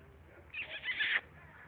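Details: Rescued female piglet called Squeaker gives a shrill, high-pitched squeal lasting under a second, rising in two or three quick bursts before cutting off, over a low steady background hum.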